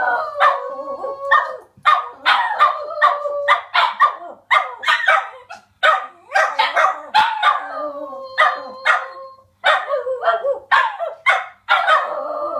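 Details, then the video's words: Several Border Terriers kept as pets join in a howling session, with choppy yelping howls and barks that come one after another and overlap in a busy chorus. "Border Terriers Howling"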